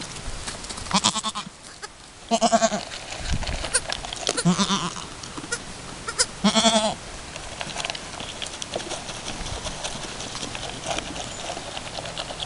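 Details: Alpine goat mother and her newborn kid at a first kidding, two hours after the birth while trying to nurse; several short, wavering bleats in quick succession, with rustling in the background.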